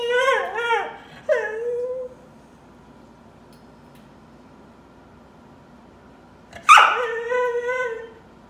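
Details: Crying dog indoors giving two high, falling whimpers in quick succession, then a long silence before one loud sharp yelp that trails into a wavering whine.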